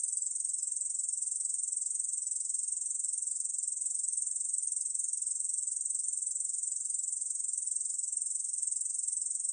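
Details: Korean bush cricket recorded in 2020, singing a continuous, even, high-pitched buzzing trill with tightly packed pulses that runs without pause; no other sounds.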